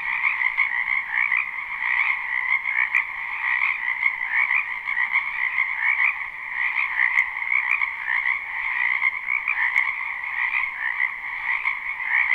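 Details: Dense spring chorus of many frogs in a wetland behind a house, live recording without looping: continuous overlapping trilling croaks in two bright bands, steady and unbroken for the whole stretch, no other clear sounds.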